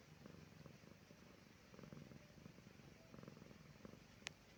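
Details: Resting pet cat Silki purrs contentedly on a calm evening, a soft low rumble rising and falling in regular breaths, broken near the end by one sharp click.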